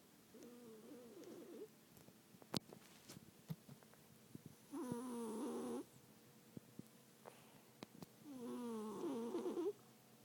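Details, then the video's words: A cat snores in its sleep, rhythmic buzzy rattling inhalations every three to four seconds, each about a second long, with faint clicks in between. "Snoring cat"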